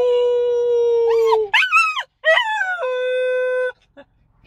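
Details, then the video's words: Young pet dog coming out of anaesthesia after neutering surgery: a long, level howl, then wavering rising-and-falling whines and yelps, then another sustained howl that fades into quiet. "강아지 중성화 수술 후 경과, 마취 풀리는 중 (Feat. 하울링)"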